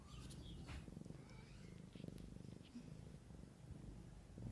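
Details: A mother cat caring for her kittens purrs steadily, a continuous low, pulsing rumble running through the whole stretch, with faint light rustling above it.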